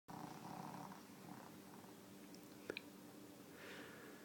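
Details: Susie, a deaf pet dog, sleeping indoors, gives a breathy, rasping snore in the first second, then a shorter one, over a steady low room hum.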